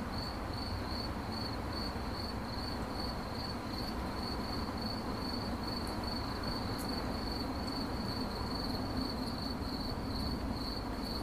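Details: Continuous cricket chirping rendered in 8D audio: a regular string of sharp, high chirps, roughly two to three per second, holding one pitch against a low steady background roar.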